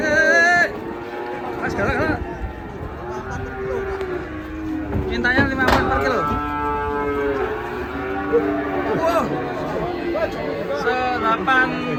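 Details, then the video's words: Large cattle being unloaded from a truck and weighed in the morning: several harmonic moos, some drawn out and wavering, mixed with background music and people talking. "PROSES SAPI SAPI MONSTER TURUN DARI TRUK DI TIMBANG"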